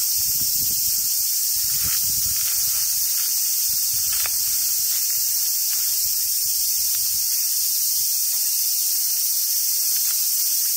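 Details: Summer cicadas at Awajishima Monkey Center, Sumoto, Hyogo, Japan: a dense, unbroken high-pitched hiss-like drone throughout, with faint low rumbling and brief soft squeaks beneath.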